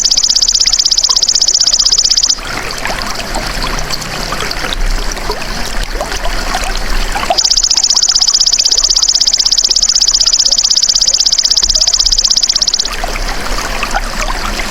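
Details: Golden grasshopper, belalang emas, as a tutor sound for songbirds: two bursts of high, dense, rapidly pulsed buzzing, the first about two seconds and the second about five seconds long, separated by a stretch of trickling, rustling background.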